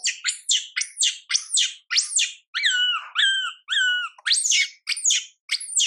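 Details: Crying of young monkey MILA, neglected by her mother MILIKA: a fast train of shrill screeches, then three drooping whistled wails, then more screeches, nearly continuous.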